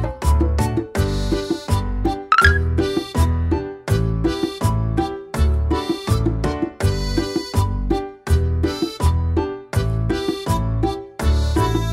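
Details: Playful piano and keyboard tune with a regular bouncing rhythm fills the whole stretch, with no animal sound heard.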